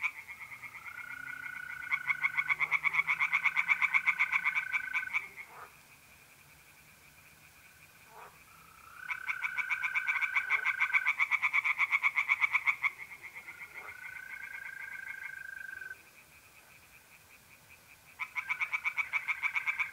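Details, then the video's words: Tree frogs sing in a pond on a mid-April night in North-East Italy. Three separate bouts of quick rasping pulses are split by quiet spells. Trilling mole crickets fill the pauses with smooth, sustained buzzing tones. "relaxing singing tree frogs in pond and trilling mole crickets by night"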